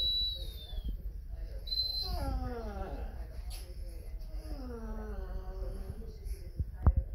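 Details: Pet Basset Hound Lucie howling in a playful Halloween act: two long, wavering moans that slide downward in pitch, each lasting over a second, with thin high whistles near the start and a low rumbling background.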